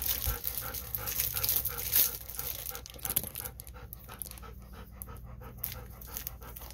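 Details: Pet Golden Retriever from the duo Kohaku and Bis, panting beside a visiting girl who is saying goodbye; quick, evenly spaced breathy pants, about two per second, clearest in the second half after some rustling handling noise.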